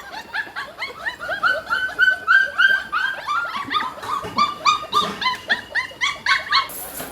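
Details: Hungry Pit Bull puppies a little over a month old, their mother's milk not enough so they need supplementary milk and food; rapid overlapping high whines and yelps, several puppies calling at once, roughly three or four cries per second, with a man's voice nearby.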